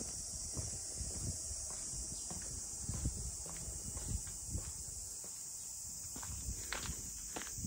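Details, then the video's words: Unbroken high-pitched cicada drone over the waterfront funaya houses of Ine, Kyoto, accompanied by irregular crunching footsteps and a few sharp knocks. "cicadas voice"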